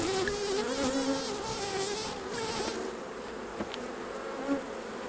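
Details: Honey bees buzzing around their hives as beekeepers take the honey off during the harvest; a dense, wavering drone whose pitch slides up and down, easing slightly after three seconds, with a few soft knocks from handling.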